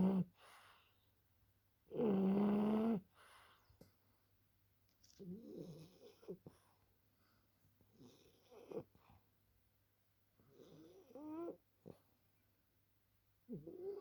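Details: French Bulldog sleeping: one loud, buzzy, droning snore early on, followed by fainter, irregular snuffling and wheezy breaths and short softer snores.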